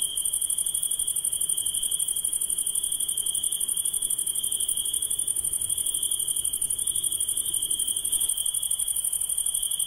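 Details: Insects at night keep up a constant high-pitched pulsing trill with a hissy upper layer, even and uninterrupted, with only faint low background rumble.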